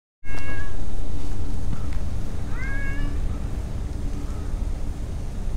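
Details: Stray cats lounging in a park with a large pond: two short, clear, rising-then-falling meows about two seconds apart, over a loud, steady low rumble of wind or traffic noise.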